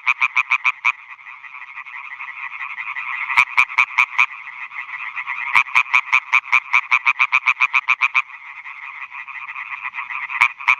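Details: Male European tree frogs calling for females at meadow ponds in Schleswig-Holstein, Germany, 2017, bats hunting above; several bursts of loud rapid croaks, each a few seconds long, over a continuous droning chorus of more frogs.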